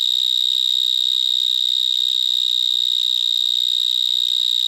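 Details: Powerful continuous stridulation of a vineyard mole cricket in a Gironde vineyard at nightfall, 22 March 2019: a piercing, steady high-pitched whirring tone without pause, loud and unpleasant, carrying up to 200 m.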